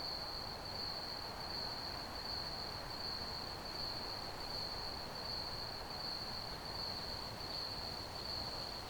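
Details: Crickets chirping in an ambient outdoor chorus: one steady, high-pitched trill holds without a break for the full nine seconds over a broad, rushing hiss of background noise.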